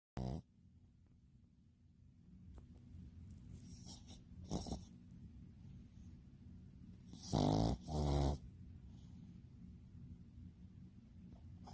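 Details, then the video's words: Pet dog snoring while asleep: a low rumbling breath sound throughout, with two louder rasping snorts near the end and some faint shuffling between. "사람인가?강아지인가?코골이가 왜?이런가?ㅋㅋ"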